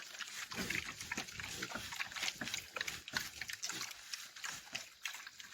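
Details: Farm pigs on a roça make rapid, rasping grunts and snuffles, one after another in quick, uneven bursts, with faint voices behind.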